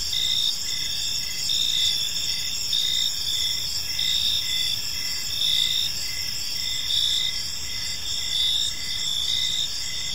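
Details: Chorus of crickets chirping as evening falls over a park: bright, sustained high-pitched trills from many insects, rising and falling in loudness around every second or two.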